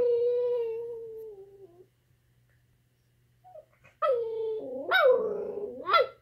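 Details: Miniature chocolate schnauzer talking to another dog, a Peekapoo, indoors: a long steady howl sliding slightly down, a pause, then wavering yodel-like whines rising and falling in pitch, ending in a sharp rising yelp.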